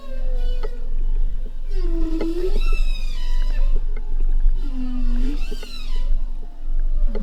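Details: Bowhead whales in the northern Bering Sea of the Arctic, where they move in as the sea ice advances, give overlapping moaning calls, some swooping upward and others rising into bright harmonic cries.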